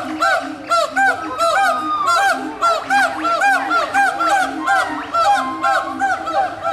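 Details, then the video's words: Several gibbons calling back and forth at Walt Disney World's Animal Kingdom in 2018: a dense chorus of arching, looping whoops repeated in quick succession, with steady lower hoots underneath and no pause between phrases. "Gibbons Calling to Each Other"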